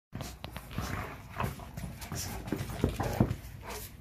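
A Rottweiler breathes in quick, rough pants, with a brief high whimper mixed in. Low thumps of a ball hitting the ground punctuate the clip, and a faint human voice can be heard.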